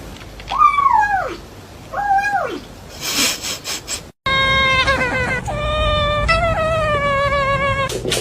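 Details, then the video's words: Cats making weird sounds: two short arched meows that fall away, a burst of noisy rustling, then a long flat harmonic meowing wail that stretches for several seconds, with background hum. "Weird sounds coming from cats."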